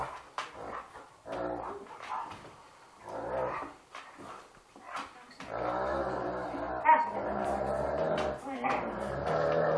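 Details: Rough play between two Irish Wolfhounds, one adult of 2 years and one 14-week-old pup, nipping at each other's snouts. Short growls come first, then a long, sustained, throaty growl in the second half.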